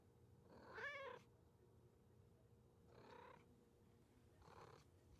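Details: Cat meows: one clear bright meow followed by two softer, fainter mews, evenly spaced about two seconds apart over a low electrical hum.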